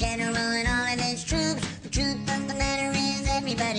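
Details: A pop song plays, with a female voice singing over guitar accompaniment and no animal sound.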